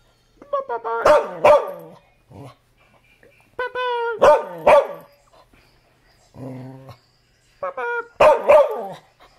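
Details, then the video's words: Dog barking in three clusters of two or three loud, harsh barks, with a low growl between the second and third clusters and a person calling out to the dog. "Barking Bumba"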